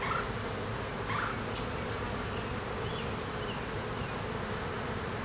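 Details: Honey bees at an open hive in the beeyard during an inspection; a dense, steady low hum with faint high chirps of birds in the background.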